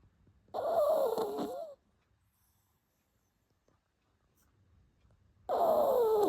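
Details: A pet dog snoring indoors, louder than usual: two long, loud snores about five seconds apart, each a raspy breath with a whistling tone that slides downward, separated by near silence.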